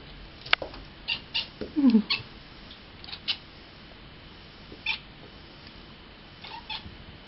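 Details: A kitten named Cat Miaow reacts to a fly with bird-like meowing: quick high chirps in a rapid cluster, one lower descending squeaky mew, then scattered single chirps spaced about a second apart in a quiet room.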